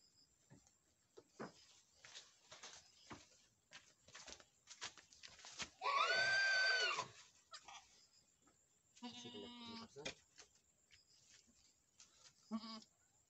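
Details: Boer goats on a farm in Nepal, with a newborn male kid from a first-time mother: a long, loud, quavering bleat in the middle, then two shorter nasal bleats, amid clicks and handling sounds.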